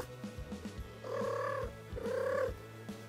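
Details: A domestic cat gives two short, bright chirruping trills over soft music. Trilling is used mainly by female cats; mothers trill to kittens to have them follow, and a cat trilling at a person wants attention.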